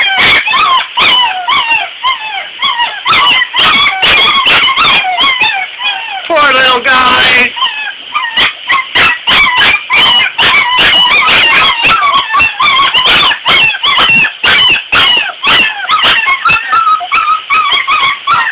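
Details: Puppies being bathed and not happy about it: a near-constant stream of high, quavering whimpers and yelps, several overlapping, rising and falling rapidly, with a calming human voice mixed in.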